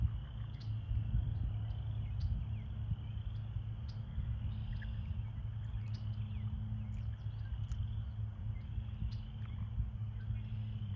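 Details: American toads calling in a breeding pool during breeding season, with pairs in amplexus; a steady, high, unbroken trill chorus runs throughout over a strong low rumble and occasional faint clicks.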